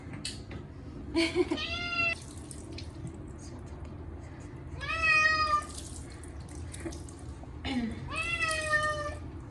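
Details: Short-legged Munchkin cat Chacha screams loudly at its first bath in a year, given on a hot day with catnip cat shampoo. Three long, drawn-out wailing meows come about three seconds apart, each richly harmonic, over running tap water and dripping.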